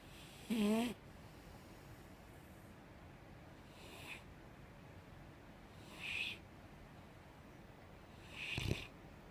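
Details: Softly snoring five-year-old female Mastiff asleep: one clear low buzzing snore at the start, then three fainter breathy exhales spaced about two seconds apart, the last ending in a small snort.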